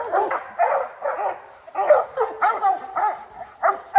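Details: Rocky, a three-month-old hound pup from Gray's Rack Em Willy and Blackstone's Ram-Paige, bays at a treed black bear; separate hoarse, arched barks about every half second, loud and close.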